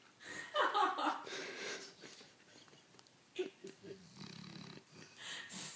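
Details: Maggie, a dog almost 16 years old, asleep while wearing a cone after leg surgery, snoring: one rasping, breathy inhale early on, then softer, irregular snorts and wheezy breaths in a quiet room.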